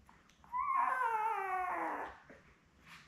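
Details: Newborn Labrador Retriever puppy, one of seven born May 24, 2021 to mother Belle, filmed indoors on a puppy cam: a single drawn-out whining cry of about one and a half seconds, sliding gently downward, rich in overtones.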